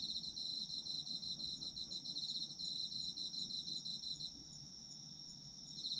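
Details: Singing autumn insects, meant for sleep listening: fast pulsing high chirps over a sustained ringing tone for four seconds, then the pulses drop out and only the steady drone remains before the trill returns at the end.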